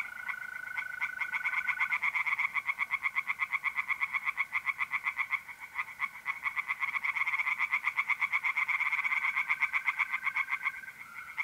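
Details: A pond at night in mid-April, north-east Italy, with singing tree frogs: a long, fast, rattling series of croaking pulses, about four per second, briefly easing midway, while a mole cricket trills steadily beneath.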